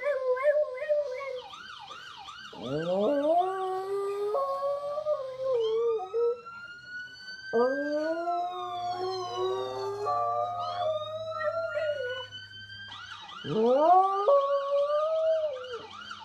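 A dog howls in long, rising, wavering notes, copying a wailing car siren in the background.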